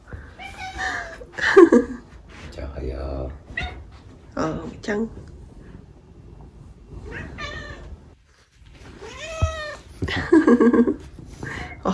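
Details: Domestic cats at home in the morning, chatty and wanting affection. Several drawn-out, wavering meows rise and fall, some short and some longer, with a pause in the middle. Human voices talk alongside in a small indoor room.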